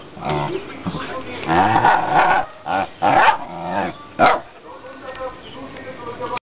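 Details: Female pet dog trained to bark whenever her owner raises a hand and makes a fist. Several sharp barks sound at uneven intervals, interspersed with lower growly vocal sounds and human speech.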